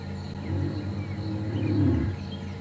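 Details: Magnificent male lion at Djuma and Arathusa, afternoon safari drive on 15 January 2015, starting a roar softly, a deep, swelling low moan; possibly contact calling to a brother, aware other males are in the area.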